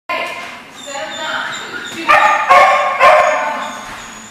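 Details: Dogs at a barking lot recorded on 17 November 2014, with sharp overlapping barks clustered in the second half and a softer whine-like tone early on.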